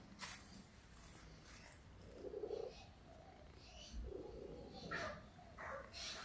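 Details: Hungry Russian Blue cat named Gaga indoors in the morning, giving short mid-pitched meows around the middle of the recording, with a woman's voice coaxing it nearby.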